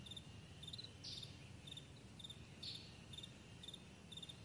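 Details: Crickets chirping on a vast meadow in the morning, steady high double-pulsed chirps with two stronger rasping bursts, low rumbling noise beneath.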